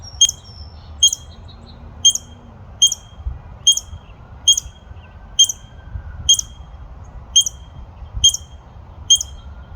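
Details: Squirrel barking in a steady series: about twelve short, bright, squeaky chips, each a sudden high note repeated a little faster than once a second, with faint softer notes between the first few.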